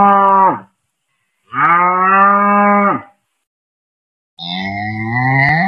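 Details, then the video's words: Cow giving repeated moos: the tail of one moo, a full even moo of about one and a half seconds, then the rising, rougher start of a third, separated by clean silences. "SUARA HEWAN SUARA SAPI"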